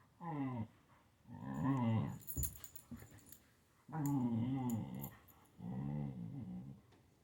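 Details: Indoors, a Siberian Husky at play with a kitten gives four wavering, moaning growls, each about a second long, rising and falling in pitch, with a short clattering noise between the second and third.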